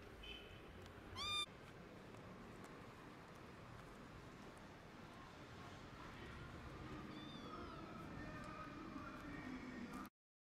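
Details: Orphaned stray kitten, hungry and wanting food, being cared for by a gray foster cat; one sharp, high, bending meow early on, then a much fainter meow midway, with continuous low background noise throughout.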